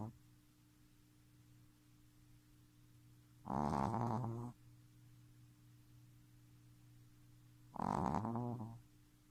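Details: Three-month-old Shih Tzu puppy snoring indoors, two rough, rattling snores about four seconds apart, each lasting roughly a second, with a steady low hum in the quiet room between breaths.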